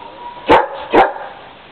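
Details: German Shepherd dog trying to climb a ladder to get at some birds, giving two sharp barks about half a second apart, over a steady low hum.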